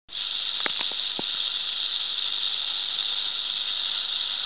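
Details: Huge full-grown wild timber rattlesnake at a den site, rattling: a steady, dry, unbroken hissing buzz that runs the whole time at even loudness, with a few faint clicks near the start.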